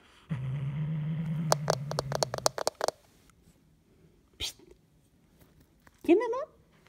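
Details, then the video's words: Hulusi, a house cat guarding its toy, gives a steady low growl lasting about two seconds. Sharp clicking knocks and a brief human voice follow. "Oyuncağını koruyan kedi Hulusi hırlıyor"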